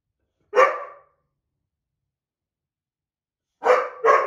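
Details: White boxer Ridgely squabbling with an older black Lab mix over a window seat; one sharp bark, a long silence, then two quick barks close together.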